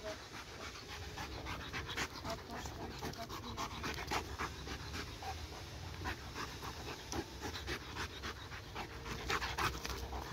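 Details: Dog caught up in laser-pointer play keeps up quick, even panting, airy puffs roughly three to four per second, a soft murmur of indoor background throughout.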